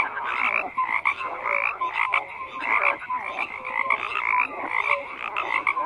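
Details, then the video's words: Many frogs croak together in a busy mix of high rattling trills and lower grating croaks, punctuated by brief whistled peeps, the chorus pulsing louder roughly every second. "FROGS CROAKING"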